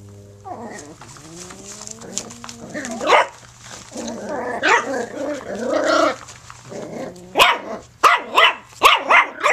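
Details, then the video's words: Puppy in play mode, starting with a whiny drawn-out vocal note, then rumbling growls building into a rapid string of sharp yappy barks at the end, low hum underneath. "puppy play"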